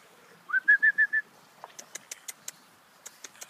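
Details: Pug puppies, females born 1 October 2013, give a short run of five high, whistled whimpers, the first rising and the rest level and evenly spaced, followed by soft clicks and taps.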